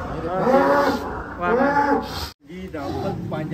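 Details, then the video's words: Large cattle in a pen at a cattle contest give a drawn-out, harmonic lowing moo that swells and fades twice, with a man talking nearby and a brief cut near the end. "KONTES SAPI DI KANDANG"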